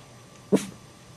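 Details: A single sharp dog bark that startles Chihuahua puppies, one short broadband burst lasting under a quarter second, followed by quiet room tone.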